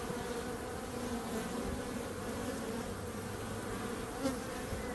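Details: Steady hum of many bees, a dense continuous drone with strong tones near the low and mid range, unbroken for five seconds, with a brief louder swell toward the end.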